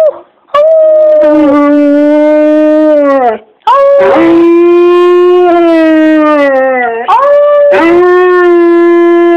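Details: Domestic dog howling on its owner's prompting, possibly two voices at different pitches; sustained tonal howls with rich harmonics, each lasting two to three seconds, gently falling at the ends before new howls begin.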